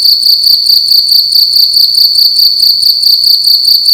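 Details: Indoor cricket at night producing loud, sharp high-pitched chirps in quick steady bursts, around two and a half per second, with a faint low hum beneath.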